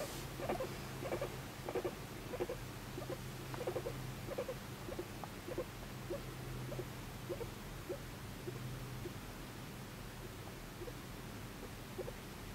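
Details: Pet guinea pig Moru-chan, adopted at one and a half years old, making soft affectionate sounds while seeking attention indoors: short low chut-like pulses repeated about every half second over a faint rumbling purr, in a quiet small room.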